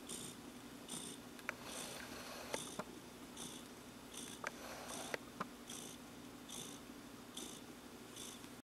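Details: Clarence, a relaxed cat in blissful contentment, kneading with happy toes; soft, steady purring pulses repeating roughly every half second at low volume, with a few sharp clicks over a quiet indoor background.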